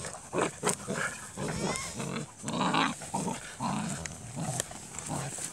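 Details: A litter of KNPV Dutch Shepherd x Belgian Malinois puppies: soft grunts and nasal whimpers come in short bursts, broken by a few thin rising squeaks and sharp clicks, irregular and overlapping.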